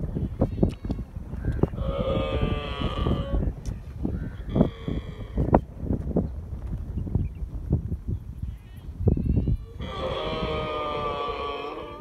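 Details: A young camel with its mother in the desert, drinking milk, gives drawn-out, nasal bleating calls over low rumbling and thumping noise.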